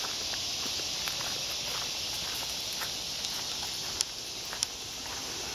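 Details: Woodland cicadas keep up a continuous sizzling buzz while footsteps crunch along a forest path, with scattered clicks and rustling leaves.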